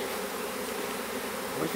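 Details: Western honey bee (Apis mellifera): a small swarm being hived in a privet hedge thicket in south Alabama on 12 April 2014 gives a steady, dense buzzing hum, ending with a brief louder burst.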